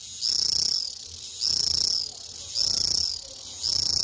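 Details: A cicada, presumably a singing male, calls in high, buzzing bursts, each about half a second long, repeated roughly every second.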